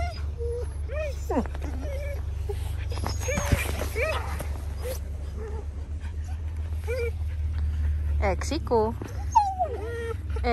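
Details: Border Collies whine in short, bending, nasal cries and occasional yips scattered through the recording, while a person talks to them in Czech over a constant low droning hum.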